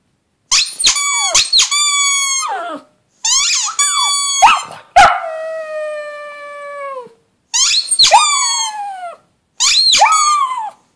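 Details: : Pug howling: long drawn-out wavering cries rich in harmonics, several bouts each lasting one to two seconds, separated by short silences, one longer falling howl trailing off.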